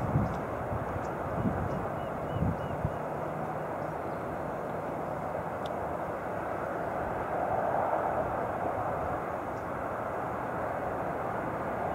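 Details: A steady broadband rumble like a passing aircraft or distant traffic fills the recording, with a few faint clicks and no clear animal calls.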